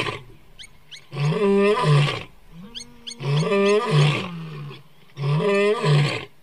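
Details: Old lion described as crying: three loud, deep, moaning roar bouts, each about a second long with strong low harmonics, spaced roughly every two seconds, with faint music in the background.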